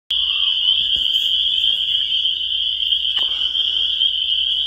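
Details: Spring peepers in a dense chorus, their high-pitched peeps merging into one steady, shrill ringing that never pauses, with a few faint clicks and a soft low hum beneath.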